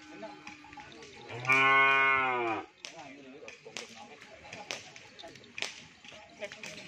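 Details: A cow among many cattle at a gathering in Pamekasan gives a single loud, drawn-out moo of about one second, then sharp knocks and background chatter follow.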